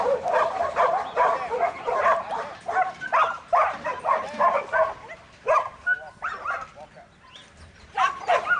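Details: Buttons, a young male Border Collie in training and a futurity prospect for 2012, sired by Brett out of the female Babie. He gives rapid, uneven barks, about three a second, with short pauses and a little human voice in the background.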